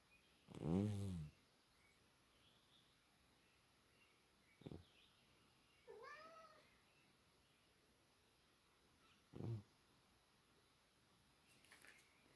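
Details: Beezelbub, a sleeping cat, starts with a strong rasping snore, then short clicks and a soft rising-falling chirp-like murmur. Further brief breathy sounds follow over a quiet background.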